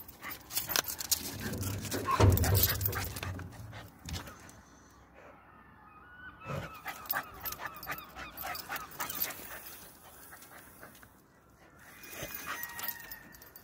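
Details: Jipp, a Patterdale Terrier cross, scents a rat hidden under club decking and is eager to kill it; thin high whines rise between scratching and snuffling, with a loud thump early on and a man's voice nearby.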